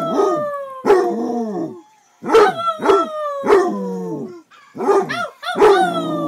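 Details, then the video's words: Male Basset Hound at home howling and barking continuously: loud barks merging into long, descending, mournful tones, one after another with barely any pause, and a brief break midway. "My Bassett hound howling/barking"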